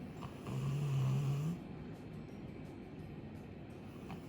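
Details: Chappy, a two-year-old female Labrador Retriever, snoring loudly while asleep, as loudly as her dad. A single low, drawn-out rumbling snore lasts about a second and lifts slightly at its end, followed by quieter breathing in a still room.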